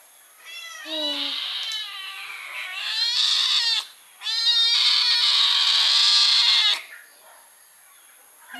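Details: Hungry kittens being fed chicken meat cry with overlapping, high, insistent meows, building into a nearly continuous chorus from the first second to about seven seconds, broken by one short pause near the four-second mark.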